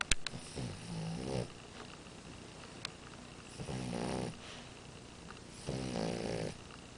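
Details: Amora the French Bulldog snores softly: three gentle rattling snores roughly every two and a half seconds, with a few sharp clicks at the start in an otherwise quiet room.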